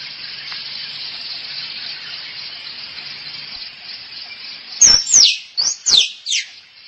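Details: Squirrel mating call, used as a lure to attract squirrels: after several seconds of steady hiss, a run of five sharp, high squeals sweeps steeply downward in quick succession.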